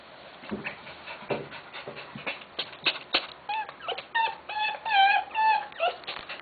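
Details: Tenterfield Terrier female giving birth in Japan; soft whimpers and whines, some short rising and falling tonal cries late in the clip, with rustling and clicking noises throughout.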